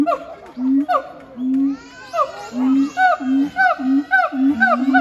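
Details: Siamang pair at Chiba Zoological Park, Japan, 12 November 2022, singing a duet: booming, swooping hoots and rising-falling whoops repeated roughly every half second, with sharp upward barks layered over them.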